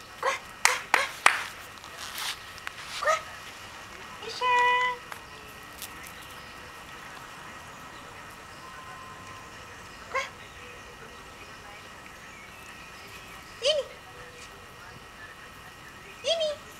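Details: Two-month-old West Highland White Terrier puppy, a new pet, coaxed in Italian to come: sharp clicks and taps early, then a drawn-out whine near the middle, followed by three short rising whimpers spaced a few seconds apart in a quiet room.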